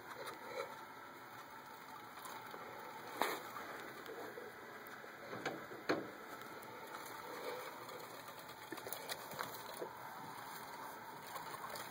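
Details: Quiet indoor hiss with a few soft clicks and taps and a faint steady electronic whine, with no animal voice.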